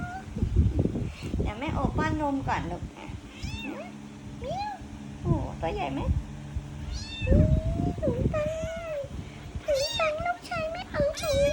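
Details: Kitten meowing repeatedly, a string of short and drawn-out wavering mews, some rising and falling sharply, mixed with a woman talking softly and handling sounds.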